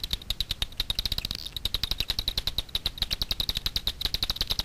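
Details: Night foraging Daubenton's bats over Miedwie lake in north-west Poland, captured with a frequency division ultrasound detector: steady fast clicking that accelerates into a brief buzz-like burst, then resumes an even rapid pulse.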